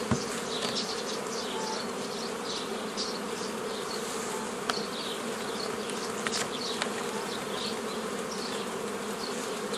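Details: Honey bees buzzing during an old-style beekeeping session forming nucleus colonies from a forager swarm, 15 May 2018; a steady dense hum with a strong band near 500, plus scattered higher flight buzzes and brief clicks.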